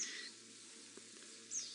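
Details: Dwarf mongooses give shrill, bird-like chirping alarm calls on an April morning, warning each other after spotting a stalking female leopard and running away.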